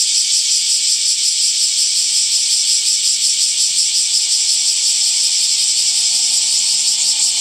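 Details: Continuous summer cicada buzzing, shrill and high, with a quick rhythmic pulsing texture throughout.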